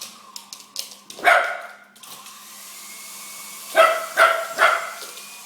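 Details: Chase, a dog, barking at a bigger helicopter: one sharp bark, then three quick barks about half a second apart, over a steady mechanical whine and hum.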